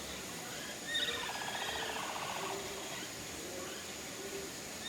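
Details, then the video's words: Herd of capybaras at Nagasaki Bio Park, Japan, calling together while going to visit the breeding male Toku, who also calls; a rapid pulsed, chattering series for about a second and a half, with a faint high whistle near its start. "Glorious Sound of Capybaras Singing As They Visit Handsome Toku"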